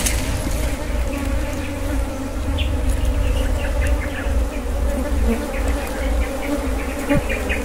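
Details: Wild honey being harvested amid honey bees, whose low, steady buzzing drone runs unbroken for several seconds, dotted with faint scattered clicks and light knocks.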